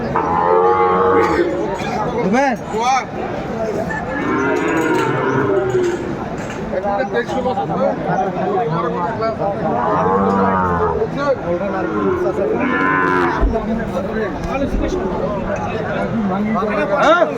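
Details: Cattle at a Comilla cattle market in Bangladesh on 12 February 2025, where a farmer buys a Sahiwal bull. Several drawn-out, arching moos about a second long come every few seconds under loud bargaining voices and background music.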